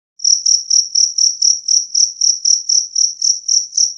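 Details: Two-spotted cricket giving a clear, loud, high-pitched chirp, steady pulses repeated about four times per second with no other sounds.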